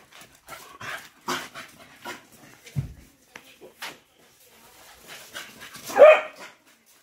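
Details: Patterdale Terriers chasing and running wild: a few scattered sharp barks, one louder bark near the end, between quieter scuffling and rustling noises.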